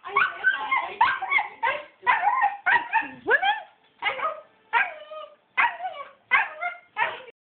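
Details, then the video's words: Excited pet dog asked if he wants to go swimming answers with rapid, choppy whines and yips in about ten short bursts, some sliding upward, with a brief low human voice among them. "Dog says "I wanna"!"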